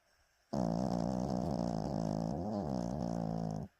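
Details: Fourteen-year-old pet dog dozing after a full breakfast, seemingly dreaming; one long, rattling, low snore of about three seconds, even at first then dipping and wavering near the end.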